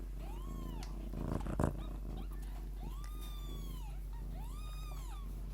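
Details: Steady low purring from a Lykoi mother cat with her babies, overlaid by three drawn-out arched kitten mews and a short rustling burst in the middle.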